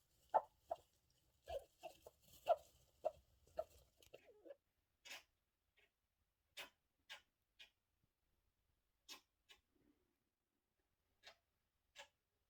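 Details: A pet hamster sick with a cold, found in the morning in its cage house, gives short, sharp sneezy clicks and squeaks every second or two; the owner suspects they passed on the infection.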